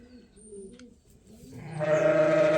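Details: Lamb being tagged and logged at Ewetopia Farms gives a strong, sustained, nasal bleat in the second half, after soft wavering cooing from pigeons in the barn.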